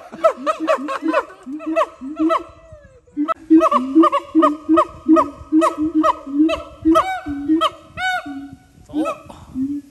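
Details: Siamang at Dubbo Zoo in Australia giving a loud series of nasal, honking hoots and barks, about two per second, some ending in upward whoops, with a short break near the third second.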